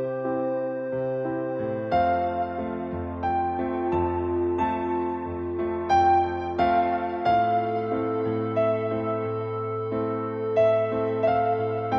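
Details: Gentle electric piano music plays throughout, slow sustained chords with no animal voice.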